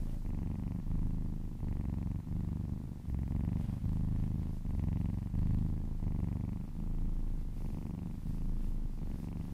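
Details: Relaxed cat purring during a massage: deep, low rumbling purr in rhythmic pulses that swell and fade with each breath, roughly every second, indoors.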